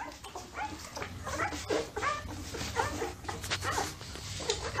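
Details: Newborn Labrador Retriever puppies nursing, giving short, faint, high squeaky whimpers scattered among soft rustling and suckling noises.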